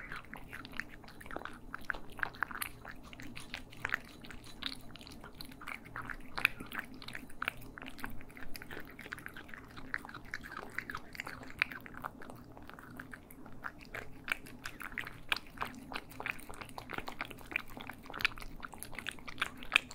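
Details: Cats feeding indoors in stereo: continuous crunching and chewing, many quick sharp bites through twenty seconds, steady low background hum.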